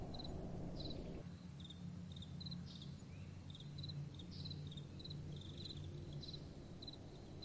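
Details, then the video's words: Crickets at night chirping in short high pulsed bursts of two or three clicks, repeated roughly every half second, over soft blowing wind and a low steady rumble. "Relaxing Night Time Sounds | Crickets & Soft Wind"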